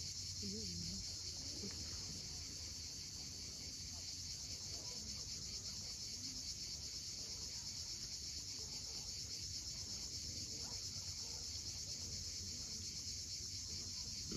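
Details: Cicadas at sunset on the steep coast of Cape Fiolent, Crimea, keep up a steady, unbroken high-pitched buzzing drone with no pauses, over a low rumble of sea waves below.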